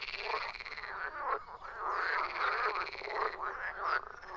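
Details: A chorus of frogs: a steady wall of harsh, pulsed croaks from many animals. Bursts swell and fade roughly every second.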